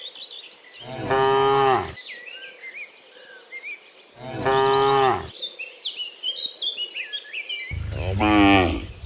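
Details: Cows in the morning, returning from the field to the barn, giving three loud, drawn-out moos, each about a second long, with small birds chirping and crickets faintly in the background.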